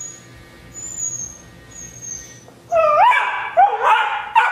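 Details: Rhodesian Ridgeback puppy Juno, 12 weeks old, begging for rawhide from Nixie; faint thin whistling tones first, then loud rising whines and yelps in a rapid burst.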